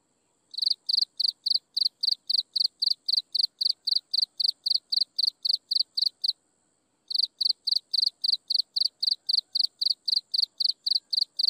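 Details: Sunset insect chorus: a long, even run of sharp high chirps at roughly four per second, one brief break midway, with a thin continuous whine above.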